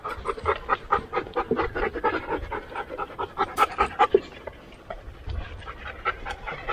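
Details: Siberian Husky, one of 50 sled dogs at a working kennel, on a hot summer day. Rapid, breathy panting in steady bursts of about five per second, easing briefly near the middle before resuming.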